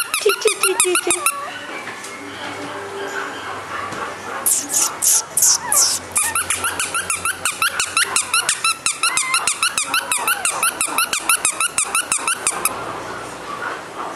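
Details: Bibin, a male Shih Tzu described as affectionate and gentle, gives rapid, high-pitched squeaky yips with bright harmonics, about three per second, in a small room; faint human voices in the background.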